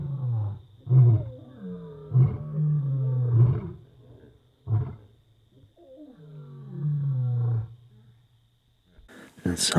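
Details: Lions roar around 4:30 am near Magotho campsite, Khwai area, Okavango Delta panhandle, Botswana, thought to be about 100 m away: deep, booming moans rising and fading, repeated in long resonant bouts.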